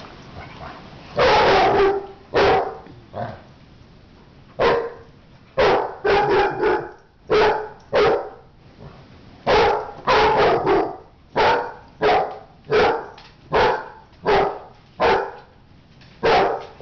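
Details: Dog in a fight, barking in loud irregular bursts, short harsh barks clustered in quick runs with brief pauses between, over a low background.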